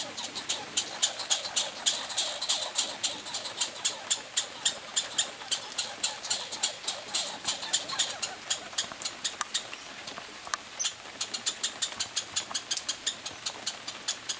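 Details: Competing for peanuts, two pine squirrels on a summer vacation trade steady bursts of sharp, rattling clicks, a brief pause near the tenth second, then the quick ticking resumes.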